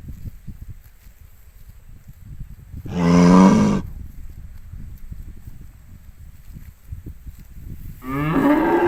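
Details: Cows grazing loose in an empty rice field. A short, loud moo of under a second is heard amid low rustling and munching noise. A second moo begins near the end and rises in pitch.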